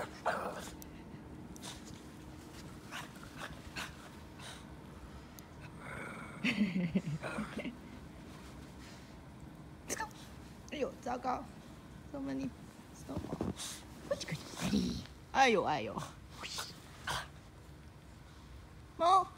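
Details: Two Shih Tzu dogs playing outdoors in snow, giving scattered short whimpers and low growly grumbles, with a rising whine near the end, among crunching and rustling movement noises and brief human voices.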